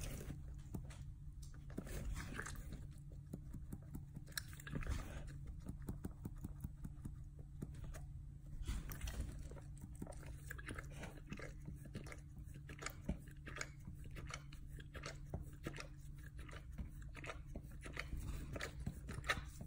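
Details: A dog busily chewing and licking its hindquarters, producing a long run of dense, uneven smacking clicks and crunches without pause, with a constant low hum underneath.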